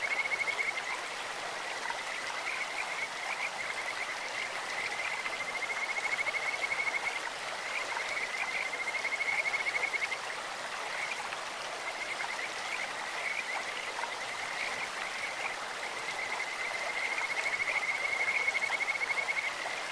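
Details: In a clear mountain stream, Kajika frogs give bird-like calls: bursts of rapid, high, even-pitched trilling notes lasting a couple of seconds, repeating through the clip against a steady wash of flowing water.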